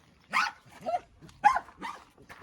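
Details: German Shepherd dogs at a meeting of two dogs; five short, harsh barks in quick succession, spaced about half a second apart across two seconds, each a broadband burst, with a quiet background.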